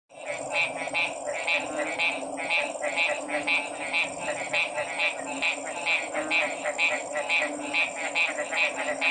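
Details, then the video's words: Frogs calling together in a dense chorus of short, bright pulsed notes overlapping at a quick pace, over a steady high-pitched hiss and a lower continuous hum. "Sounds of 🐸 Frog's"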